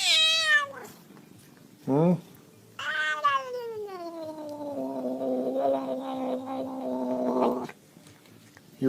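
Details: Indoor house cat yelling at its human: brief meows, then a long drawn-out yowl of about five seconds that slides downward and settles into a steady wavering wail, ending in a short final cry. A person speaks nearby.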